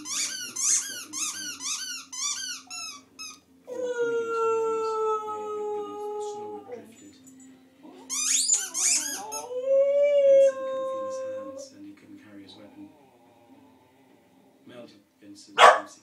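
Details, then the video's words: Pet dog Poppy howling inside a small room: shrill squeaking yips, then a long, level howl of about three seconds, another squealing burst, and a rising, wavering howl that trails off into quiet. "Poppy howling"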